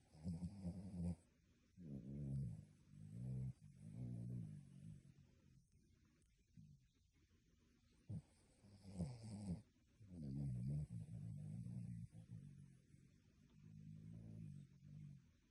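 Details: Sleeping dog snoring loudly, said to sound like a human: deep rumbling snores in repeated bursts about every second, with a quiet pause near the middle before the snoring resumes.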